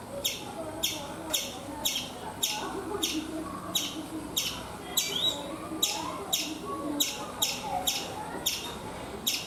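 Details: Repeated bright, clipped chirps, about two each second, given by a chipmunk on a coconut tree in India, with one slurred sweeping note partway through.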